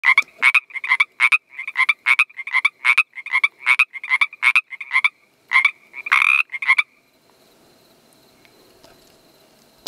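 A Pacific treefrog gives a rapid run of short, reedy two-part croaks, ending in a longer raspy note.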